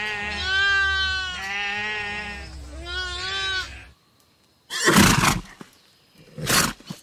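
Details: Lamb giving three wavering, nasal bleats over about four seconds, then a short silence and two loud broadband bursts from another animal.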